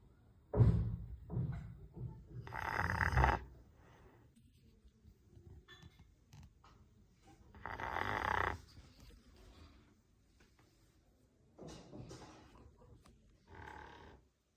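A sleeping Rottweiler snores in deep, rough breaths with a rasping, wheezy edge.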